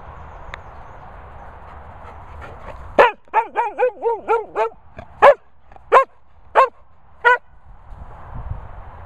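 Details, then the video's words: Sprocker Spaniel named Barney barks in a run of rapid, harmonic yelping barks, about eight in quick succession, followed by four slower, spaced barks, with low rumbling background noise. "Sprocker Barking Barney."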